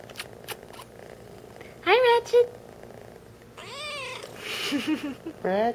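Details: A happy, talkative three-month-old adopted kitten gives a short rising-falling meow, a quick second chirp, then a longer wavering meow and soft trills, with a person repeatedly calling to it in between.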